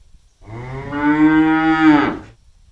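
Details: A cow grazing freely in an empty rice field gives a single long, steady moo lasting about a second and a half.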